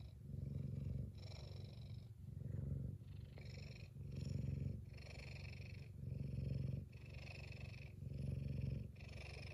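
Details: Happy F2 Savannah cat Kumba purring loudly; deep rhythmic rumble alternating louder and softer phases about every second, each louder phase topped by a faint breathy hiss.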